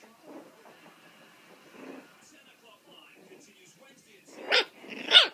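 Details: Loose, playing puppies aged four weeks and four days: quiet low murmuring at first, then two sudden shrill yips close together at the very end.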